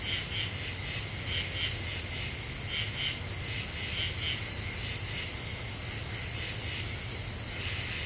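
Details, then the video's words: Night chorus of common true katydids in Ozark deciduous forest, eastern United States, July 2013, singing after the cicadas stop: short rasping pulse groups repeat rapidly, backed by a continuous high-pitched insect whine and a faint low rumble. "Half Moon and Common True Katydids"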